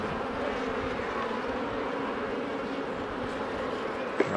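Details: Steady hum of honey bees around hives during a beekeeper's inspection, a low droning buzz with a clear pitched band, continuous throughout, with a brief knock near the end.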